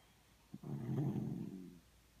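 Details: One drawn-out snore from a Miniature Schnauzer as it snuggles in a quiet room: a low, buzzing, gravelly breath lasting just over a second.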